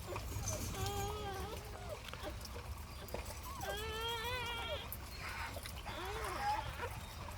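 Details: Newborn puppies just born at home to the family dog Hyang (Heukhyang), who is warming them: three thin, wavering whines, each about a second long, sliding up and down, with soft background music and handling noise.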